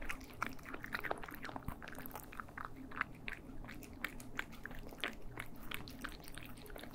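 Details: Close stereo sound of cats eating indoors, a rapid run of crisp crunches and bites, some louder snaps, over a faint constant low hum.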